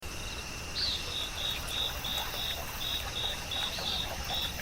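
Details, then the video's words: Crickets singing softly in a still forest by moss and a tiny mushroom, with water flowing nearby: rapid, high, evenly spaced chirps pulsing about three times a second over a steady rush of water. "고요한 숲, 풀벌레가 들려주는 이야기"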